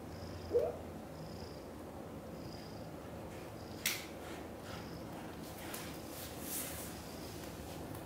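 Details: Indoor purring among British Shorthair cats, where Cream, a kitten, is cared for by two mother cats, Chan and Xaxa; a low, steady rumbling runs throughout, broken by a few brief clicks and rustles.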